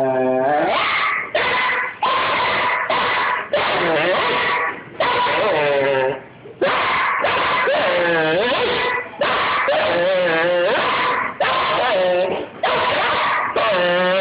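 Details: A female Doberman puppy named Foxy, almost 10 months old, complains in a tantrum with a continuous series of yodel-like, wavering howls and whines that rise and bend in pitch, broken by brief pauses.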